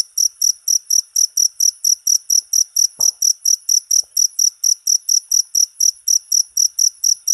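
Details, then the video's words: Shrill cricket chirps pulse steadily, about three each second, each a short bright buzz; a soft thump and a light tap break in briefly, otherwise quiet behind. "Suara Jangkrik"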